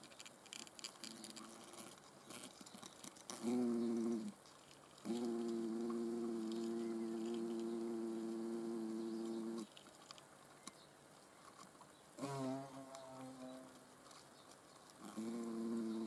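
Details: Hornets observed in the Eifel give low, droning wingbeat buzzes in several bursts, one lasting about four seconds, separated by quieter gaps with faint background rustle.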